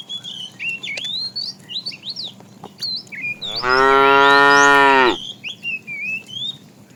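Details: Within a herd of tame cows wandering far in search of food, one cow gives one long, steady, rich moo while small birds chirp and twitter all around.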